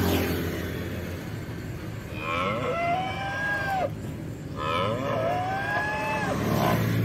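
A cow gives two long, drawn-out moos about two seconds each, rising then sagging in pitch, over a steady background hiss.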